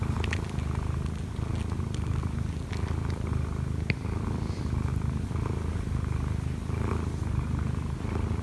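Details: Kkobugi, an odd-eyed Munchkin cat aged one year and four months, purrs while kneading hard on its owner lying in bed. A thick, unbroken low rumble fills the whole stretch, with light clicks and rustles over it.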